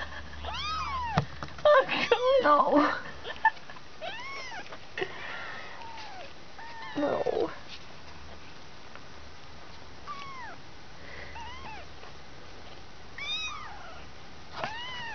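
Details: Kittens around two weeks old, part of a litter of five, give scattered high mews, loud human speech early and midway, then sparse thin cries toward the end.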